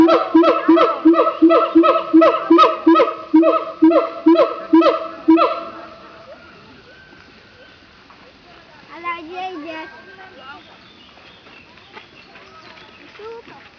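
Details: Siamangs at Opole Zoo, Poland, give loud, rhythmic barking calls in a fast series, then softer, varied whoops and hoots; a guard said there was no particular reason, they just like to "chat".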